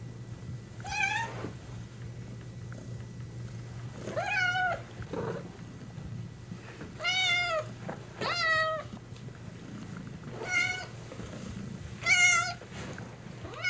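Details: Domestic cat making short, high, thin meows, each under a second and arching up then down, repeated every one to two seconds in an indoor room with a steady low electrical hum behind.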